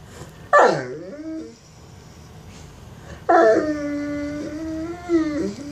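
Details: Mastiff begging for bacon indoors: a sharp yelp sliding down, then a long, level vocal whine with slight wobbles, a little room echo.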